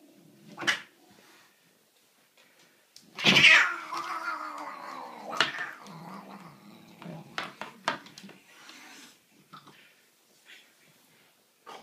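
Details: Cat attacking a broom inside a small room: a loud harsh yowl that settles into a long wavering caterwaul lasting several seconds, with clatter and scraping from the broom tussle around it.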